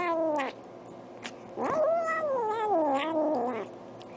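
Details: Domestic cat making weird noises: a short falling meow, then a long wavering yowl that rises, undulates and slowly sinks over about two seconds, loud and tonal against a quiet background.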